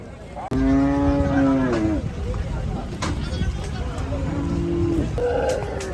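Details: Gaiya cow on a cattle farm during unloading gives a loud, steady, harmonic moo lasting over a second, then two shorter moos, over continuous background noise and men shouting in Bengali.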